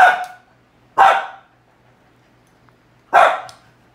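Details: A dog barks at its cow hoof indoors, three loud, abrupt barks roughly one to two seconds apart, each with a quick fade and quiet gaps between.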